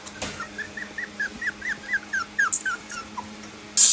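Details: Lhasa Apso. A small Lhasa Apso makes a rapid series of high-pitched, tonal whimpers, each note briefly sliding downward, several per second. A low steady hum runs underneath, and a sharp burst of noise closes the sequence.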